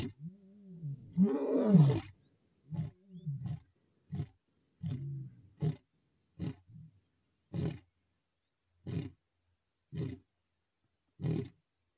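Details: Male lion in the Masai Mara on 7 July 2024, chasing a rival male: one long, loud, moaning roar followed by a run of short, deep grunts spaced about a second apart and slowly fading.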